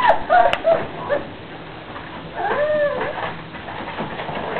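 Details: Playful puppies give a burst of short, high yips at the start, then a longer whine that rises and falls midway, over soft scuffling.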